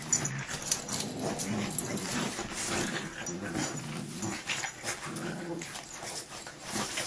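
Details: Dogs in a fight, with dense, rough growls and snarling scuffles running throughout, low rumbling mixed with sharper noisy bursts, and a human voice faintly in the background.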